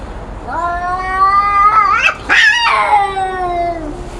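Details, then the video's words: Two cats fighting and yowling; a long steady wail climbs, breaks into a harsh screech, then a second drawn-out moan slowly falling, voices overlapping, quiet room background. "#앙칼진 #고양이소리"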